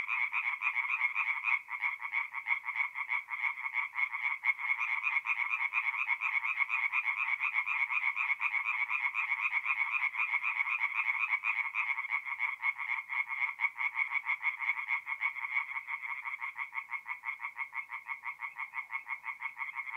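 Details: Night chorus of tree frogs at a forest pond in North-East Italy in mid-April: many animals calling together in fast, grating pulse trains, steady throughout with no other sounds.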